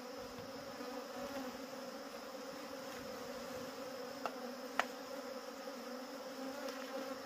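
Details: Constant swarm drone from wild honey bees while their honey is taken, an even, unbroken humming with faint clicks and one sharp tap midway.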